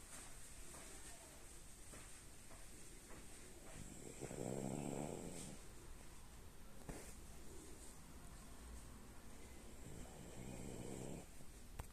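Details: A female French Bulldog snores quietly, two slow, rough, rumbling breaths spaced several seconds apart.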